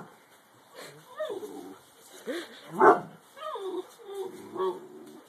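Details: Little Alaskan Malamute puppy standing up to his dad: a series of squealing whines and growly yelps with bending, rising and falling pitch, coming about once a second, the loudest burst near the middle.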